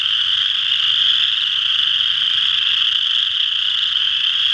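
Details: Short stretch of a western chorus frog chorus recorded at Ojibway Park, Windsor, Ontario, with dense, even, high trilling calls overlapping without pause.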